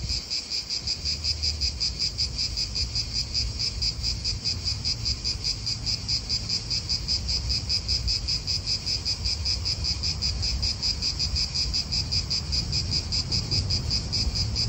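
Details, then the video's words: Italian park cicadas keep up an unbroken, high, fast-throbbing buzz, louder and clearer here above a softer low hum of wind and faraway traffic. "italian park ASMR Cicadas wind real atmosphere in an Italian park birds"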